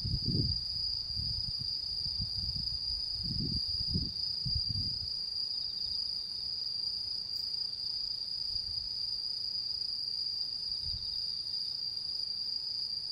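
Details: Night of the mid-autumn full moon, 10 September 2022: autumn insects sustain a constant high, ringing trill, while several low thuds and rumbles break in during the first five seconds.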